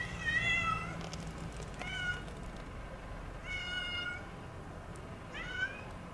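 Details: A stray female domestic cat that has lived in a house garden for two years cries for help on a cold night of the heaviest snowfall in 30 years; four clear harmonic meows, the first and third longer, spaced about every 1.7 seconds.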